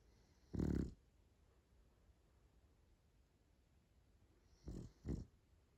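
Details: French Bulldog snoring: one loud rasping snore near the start, then quiet breathing, then two shorter snorts close together.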